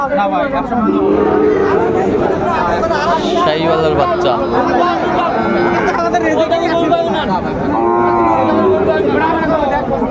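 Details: Sahiwal breed bulls at a busy Dhaka cattle market, recorded 14 February 2025: sustained low lowing calls near one and eight seconds over steady crowd babble and talking buyers.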